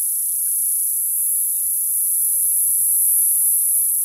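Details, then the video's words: Constant, shrill summer cicada chorus, a thin high-pitched sizzle running without interruption, with faint low murmurs in the background. "Cicada sound, cicada sounds, summer cicada sound, Sounds of the cicada"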